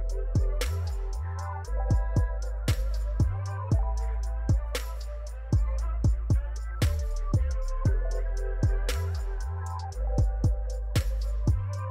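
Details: Steady instrumental music with a strong drum beat and guitar, with accented hits every second or two and no animal voice heard.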